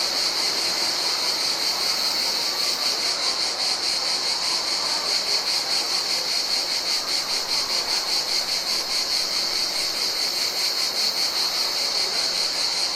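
A steady summer insect chorus, high-pitched and shimmering, pulsing rapidly without pause.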